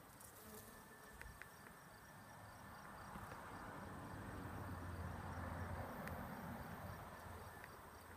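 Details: Honey bees pollinating sunflowers hum steadily, a low droning wing buzz that swells louder as they pass close; Western honey bee (Apis mellifera).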